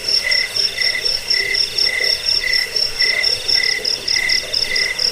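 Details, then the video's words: Crickets meant as a rat repellent, sleep aid and master sound for songbirds: even, brief chirps recurring about every half second, layered over a piercing high trill that pulses without pause. "Suara jangkik pengusir tikus pengantar tidur"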